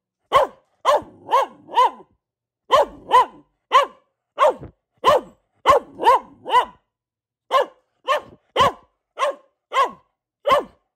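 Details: Pet Boxer bitch barking on and on: about twenty crisp barks, delivered in groups of three to four with brief pauses, fairly even rhythm, nothing else audible.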